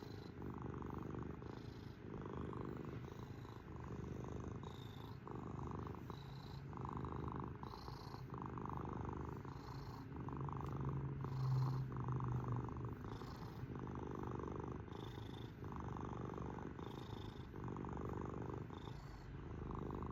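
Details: Pet cat purring continuously, a deep buzzing vibration in short breath-linked surges roughly every second, keeping an even loudness for twenty seconds in a quiet indoor setting.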